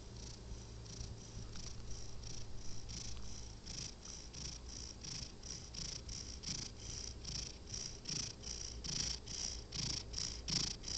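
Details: Sleeping house cat snoring: a steady low rumble under breathy, hissing pulses that repeat about two and a half times a second, loudness swelling and fading with each breath, in a quiet indoor setting.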